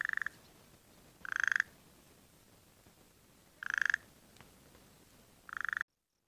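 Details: Burrowing frog at a dam that filled after a few rains, in the egg-laying season. Four short, buzzy pulsed calls come two to three seconds apart, each a quick rattling burst. Near silence fills the gaps, and the recording cuts off abruptly at the end.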